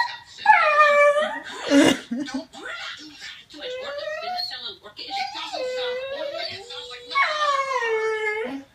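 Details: Female pet dog reacting to whale-speak from Finding Nemo played on a phone: several drawn-out, wavering, whine-like howls rising and falling, each lasting one to two seconds, with a person talking and laughing in between.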